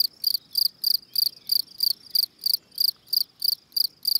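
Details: Field cricket, Gryllus campestris, calling song heard close: each shrill chirp clearly built of quick pulses, chirps repeated about three times per second over soft low background noise.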